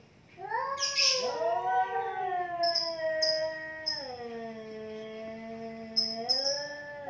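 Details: Two cats in a fight trade a loud drawn-out yowl that swells, holds, then slides down into a low growling moan, with faint high chirps behind.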